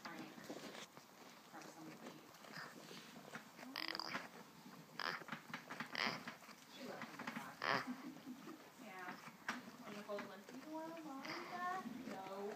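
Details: A male Boer goat makes odd, wavering moans and groans that bend up and down in pitch while he sleeps.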